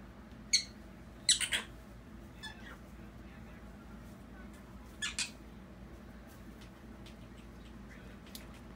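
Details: An upset pet prairie dog gives sharp, high warning chirps in short bursts, some doubled, against a quiet background, a sign it dislikes something and may be about to bite.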